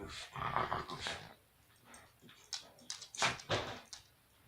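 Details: Sarge the dog growls during toy play, recorded January 17th, 2018: rough, breathy, noisy bursts, one longer rasp followed by several short huffing snorts in quick, uneven succession, fading into quieter breaths.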